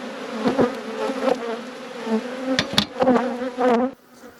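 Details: Honey bees humming steadily in an apiary during a hive inspection, a low continuous drone with a higher overtone band, broken by several sharp clicks and knocks of handling.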